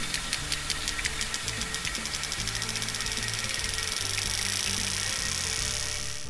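Sperm whale clicks speed up into a rapid buzz as the whale rushes toward prey.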